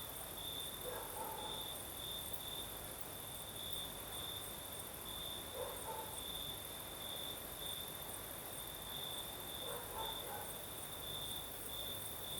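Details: Night chorus of crickets in southern Crimea with a night breeze: an unbroken, throbbing high-pitched trill running throughout, plus a constant higher shimmer, with faint soft murmurs rising briefly around the first, fifth and tenth seconds.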